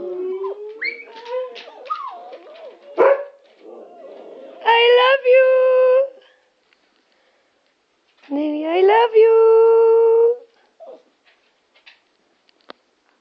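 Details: Pet huskies sharing a home with a Chihuahua: whiny, talking-like vocal slides, then two bursts of sustained tonal howling about two seconds long, separated by a pause, followed by near silence.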